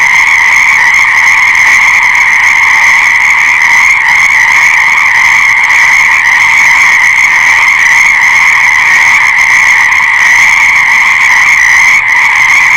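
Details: Many frogs in a thick, continuous chorus, their overlapping rapid trills merging into a constant high-pitched drone that never pauses, with only slight swells in loudness and no other clear sounds.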